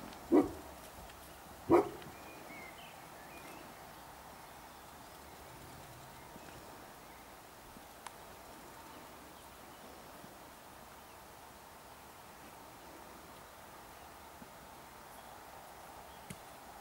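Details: A roe deer gives two short, harsh, dog-like barks in a buttercup and cow parsley meadow at Walkerburn, Upper Tweed Valley, in June, then the woods fall quiet.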